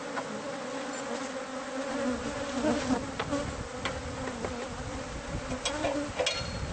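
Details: A bee colony nested inside house walls, heard while the hive is removed: continuous low droning buzz with layered overtones, broken by occasional sharp taps and clicks.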